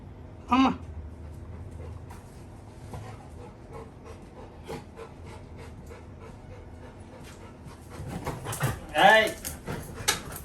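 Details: Little John, a Labrador Retriever puppy, cries at his brother, urging him to go out for a walk soon. A short high whine comes early, then a longer, wavering whine near the end, with soft background noises and a human voice.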